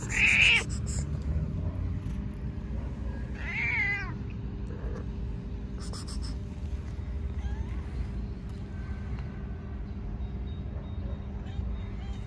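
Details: Stray cat meowing constantly from hunger. A loud, high meow opens, a wavering meow follows about three seconds later, then fainter short mews, all over continuous low background rumble.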